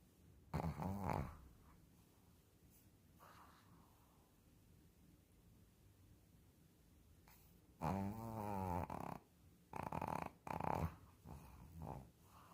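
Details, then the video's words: Sleeping Shih Tzu snoring: one rough, rasping burst near the start, then a long quiet stretch before a cluster of several loud, buzzy snores with short pauses between them. "Shih tzu roncando."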